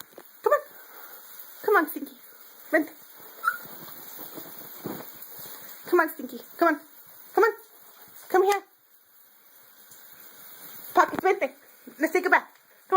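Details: Pocketz, a female pet dog who hates baths, resisting at bath time: short yelping whines and barks, mostly falling in pitch, come every second or two, while a person keeps calling her to come here in a small indoor room.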